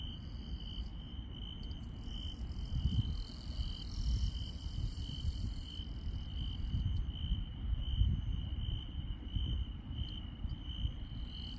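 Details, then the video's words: Rural night insects produce a steady high trill with faint pulsing and scattered higher buzzes, partly masked by louder low rumbling noise that swells and fades through the recording. "시골 밤의 정겨운 풀벌레 소리"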